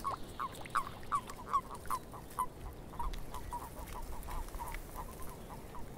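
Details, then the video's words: In a swamp, a frog gives a quick run of short, clipped croaks, about two or three a second, loudest at first and then softening, against a low background hiss. "Frogs In The Swamp"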